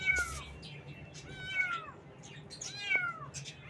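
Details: Baby kittens on their first morning, meowing: three high, arched, harmonic-rich meows, each rising then falling, spaced roughly every 1.4 seconds over a low background hum.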